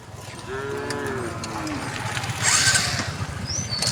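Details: A group of resident cows calmly walks along a road. A soft, brief moo bends downward, partly masked by steady outdoor noise and a burst of hissing sound.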